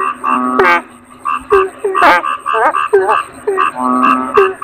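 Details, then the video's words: Toad (kodok bangkong) calling with clipped, nasal croaks that bend downward, several in quick succession, plus a drawn-out level tone near the end and a faint constant high whine. "Suara Kodok Bangkong"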